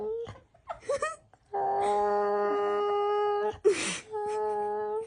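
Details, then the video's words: Talkative female rescue dog making unusual new sounds: brief yelps, then a steady two-second level moan, a short noisy burst, and another sustained moaning note. "Our rescue dog Missy making some new noises."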